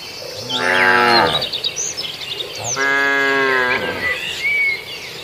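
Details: Cattle in a herd grazing on a farmer's rice field in Indonesia: two long harmonic moos, each about a second, the second steadier and held, with chirping birds in the background.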